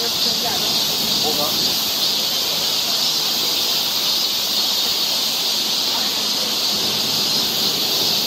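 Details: Korean summer forest trail in Seoul, where cicadas keep up a constant high, hissing drone, joined briefly early on by faint lower chirps.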